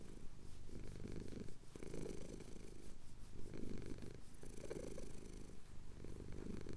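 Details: Relaxed purring of a male cat receiving chin scratches as the sun rises over the Cotswold hills, Tascam DR-07X audio; a low, buzzing rumble pulsing in regular in-and-out breaths, about one cycle every one and a half seconds.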